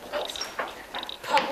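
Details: A striped marsh frog (Limnodynastes peronii) call, played to primary school children in Seaford learning frog calls, gives short, hollow knocking notes in quick succession.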